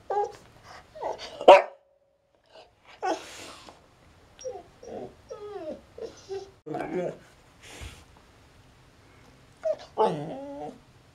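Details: A female Siberian Husky stuck under a coffee table gives a run of drawn-out, wavering whines and grumbling yowls while a person speaks nearby.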